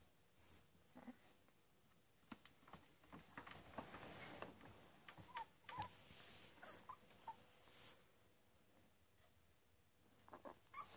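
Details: Ten-day-old Labrador Retriever puppies in Uruguay, eyes about to open, nursing and sleeping indoors; brief high squeaky whimpers at scattered moments among soft clicking and rustling.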